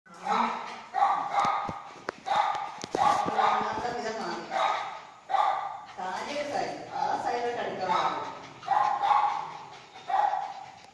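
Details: A Lhasa Apso at play; a run of short, bright, harmonic yaps and whiny barks, roughly one every second, some coming in quick pairs, with faint thumps from the play.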